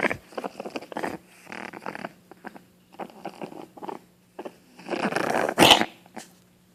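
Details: A female Boston Terrier puppy coughs in short, rough, wet, phlegmy bursts with snorting breaths between, building to a louder, strained fit near the end; the owner suspects mucus in her throat and worries she is sick.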